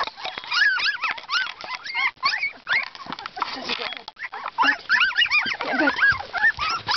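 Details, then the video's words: Two-week-old Husky pups whimpering in a crowded chorus of short, bending squeals and high yelps, rising and dipping in quick succession with brief pauses. "Husky Pups @ 2weeks"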